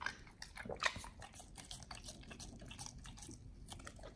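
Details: Pit Bulls eating raw yellow watermelon, wet crunchy bites and smacking chews in quick irregular bursts, with a sharper crunch near the start, recorded close up in a quiet indoor room.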